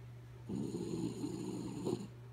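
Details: Kaya Boo, a sleepy dog, snoring: one long rough rasping breath lasting about a second and a half, low and grainy, over a steady low electrical hum.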